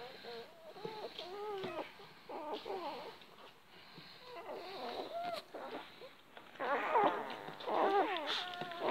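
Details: Great Dane setting with December, a champion-bred mother of 11 puppies who loves watermelon; short high harmonic whines and squeals in quick irregular bursts, loudest near the end, over a quiet indoor background.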